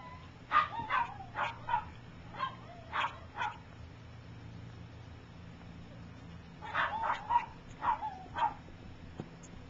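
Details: Young puppies of Gypsy's, three weeks old and learning to walk, let out quick runs of short high yips, about six in the first burst and five in a second burst after a brief pause, over a low steady hum.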